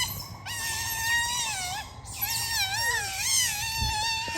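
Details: Otters at play in daytime, giving sustained, wavering whines rich in overtones, pitch dipping and rising in long drawn notes with short gaps, one call sliding downward near the end.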